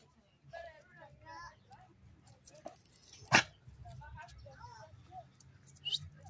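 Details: A bored tri-color male American Staffordshire Terrier whines in short wavering tones, then lets out one sharp, loud bark-like burst midway. A man talks to him warmly throughout.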